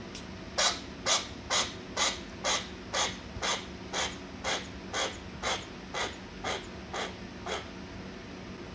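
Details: A chinchilla gives soft, breathy "pupu" puffs repeated about twice a second, a call of dissatisfaction or boredom, made when its owner looks at a phone or an unpleasant sound occurs.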